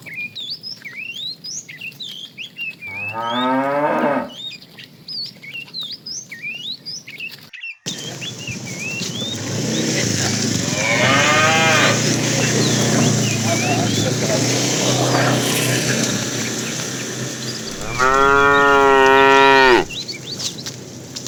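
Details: Tame cattle herded in the afternoon, a fat animal calling the female: three separate moos, a short falling one near the start, a rougher one midway and a loud sustained bellow near the end, amid bird chirps, a brief voice and rustling.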